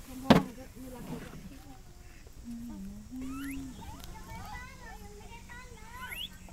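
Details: Gibbon from Myanmar calling: smooth low tonal glides that waver and rise, then a run of quick upward-sweeping whistled notes climbing higher, over a steady background hum.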